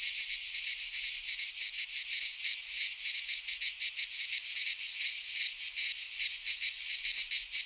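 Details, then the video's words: Pine forest cicadas in Greece, midsummer: a strident, high electric-sounding buzz pulsing in quick, slightly irregular beats, steady in level from start to finish. "Cicadas singing in midsummer"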